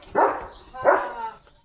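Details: Leo the German Shepherd, a pet dog racing off on seeing another dog, morning. Two hoarse, full barks about three quarters of a second apart, the second trailing into a fading tone.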